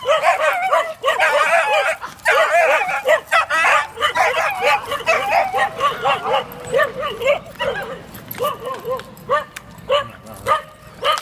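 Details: Several neighbouring Dachshunds bark in a loud, overlapping, continuous volley. The yapping barks come rapidly and irregularly, with a few slightly whiny notes mixed in.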